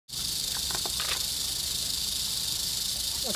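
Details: Eastern diamondback rattlesnake, wild, nearly stepped on at the end of a muddy trail on August 10, 2007, rattles in a steady, continuous high hissing buzz throughout, with a few faint clicks and knocks underneath.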